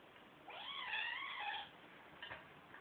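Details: Domestic cats Bug and Feature, an identical pair, at play together; one clear drawn-out meow with rising then falling harmonics lasting about a second, followed by a brief soft knock.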